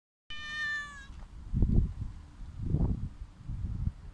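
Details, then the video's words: Hungry homeless mother cat with her kitten, being fed outdoors; one clear, drawn-out harmonic meow lasting under a second, followed by low rustling and thumping noises. "Poor hungry mother cat and her adorable little baby"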